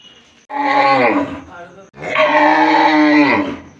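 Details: Two loud cow moos from a village. A shorter bellow is followed after a pause by a longer, steadier one of about one and a half seconds, both tapering downward at the end.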